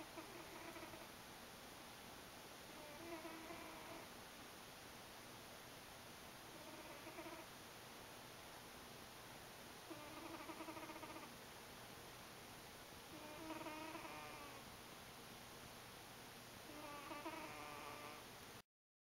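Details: Sleeping house cat named Buddy snoring in a home office: soft wheezy harmonic breaths recurring roughly every three to four seconds, six snores in all, over steady background hiss and a high electronic whine.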